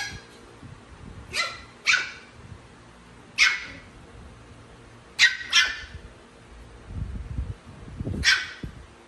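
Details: Small Pomeranian dog wanting to play with Chihuahuas, giving sharp high yapping barks, some in quick pairs, about six in nine seconds, with low thumping and rustling between them.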